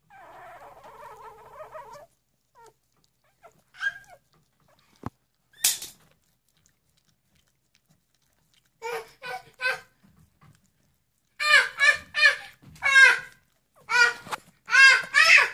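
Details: Three-day-old puppies giving sharp, wavering squeals. They come in scattered bursts, grow louder and more frequent toward the end, and there are brief pauses and a few clicks between them.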